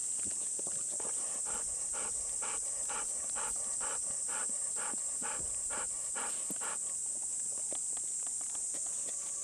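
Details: Golden Retrievers Bis and Kohaku out walking from a field on a muggy summer morning: quick rhythmic panting, roughly 130 breaths a minute, over a constant high buzzing drone, with a person's encouraging voice briefly.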